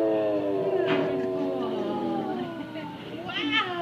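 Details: Basset Hound 'singing' in a restaurant in Oregon: long, tonal, wavering howls that slowly slide downward, with a brief higher rising whine near the end and people chatting in Spanish nearby.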